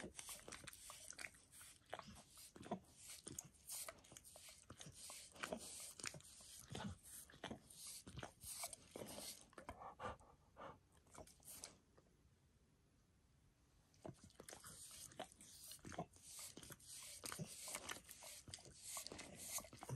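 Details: Max, a pet dog, grooming himself by licking his paws and a person's foot, shin and knee; dense wet smacking and clicking licks in rapid runs, with a brief quieter pause midway.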